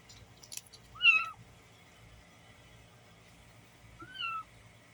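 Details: Kittens, six street cats gathered on a box, give two thin, high mews about three seconds apart, each a short wavering note that drops at the end, with light rustling and clicks in between.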